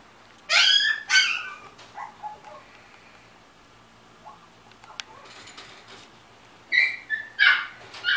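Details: A golden retriever makes short, high, squeaky whimpers in pairs, one pair at the start and another near the end, with a quiet stretch between.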